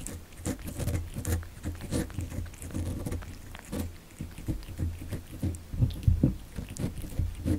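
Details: Kitten born December 2019 eating cat candy, close ASMR recording: dense irregular wet chewing and smacking clicks, several per second, over a steady low indoor hum.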